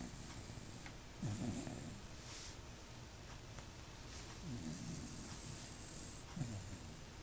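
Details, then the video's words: Dog asleep on a bed snoring: three low, rasping snores spaced a few seconds apart over a steady background hiss. "dog snoring"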